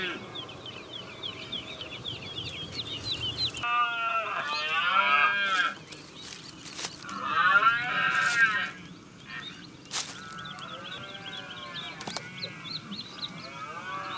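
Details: Red deer rut in Ciudad Real, captured from a hide on a DSLR: two loud, hoarse, arching bellows stand out over steady twittering from small birds, with a few sharp clicks in between.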